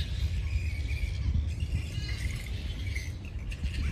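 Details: A roost of flying foxes in Sydney's Centennial Park gives thin, wavering squeals and brief screechy notes, some rising and falling, over a heavy continuous low-frequency rumble.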